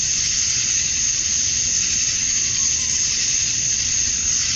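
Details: Summer-dusk chorus of male cicadas in Georgia, USA, calling to attract females; an unbroken shrill sizzling drone, even in loudness throughout, with a soft low background hum.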